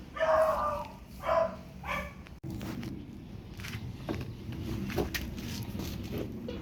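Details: Pomeranian at a photo shoot in Parkhomes, Muntinlupa, letting out three loud, clipped yaps in quick succession, followed by a sudden click and then quieter rustling, shuffling noises.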